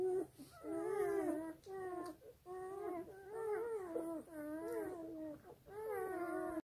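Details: Black German Shepherd puppies whimper while suckling from their sleeping mum, producing a run of short, plaintive crying squeaks with rising and falling pitch and brief gaps between them, in a small quiet room.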